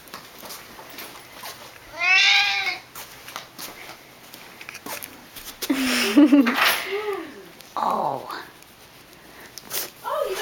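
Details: A nearly 11-year-old male Siamese cat, excited as the owner's mother comes home from work, gives loud, drawn-out meows, rising then falling, with a person talking between calls.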